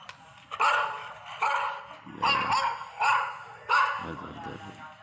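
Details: Labrador Retriever giving five loud, rough barks at an uneven pace, about one a second, over soft background music.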